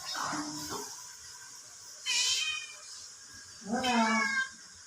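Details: Curious cats reacting to the sound of an unknown cat: a short meow, then a brief high cry, then a loud, drawn-out wavering meow near the end, over a quiet indoor background.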